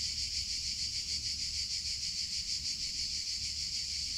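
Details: A summer cicada chorus as a high, rasping buzz. It swells and fades in a fairly regular rhythm of roughly three pulses each second, over a light low rumble.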